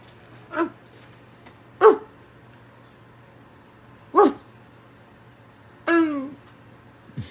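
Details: American Staffordshire Terrier puppy giving four short yelping barks spaced irregularly over seven seconds, the last a longer whining yelp falling in pitch, with a steady low hum and a person's voice nearby.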